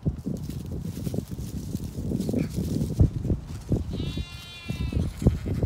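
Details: Ewes and lambs of a flock on a regenerative farm in County Kilkenny, Ireland, during a walk among them; one short, high harmonic bleat near the end over steady low rumble and footstep-like thuds.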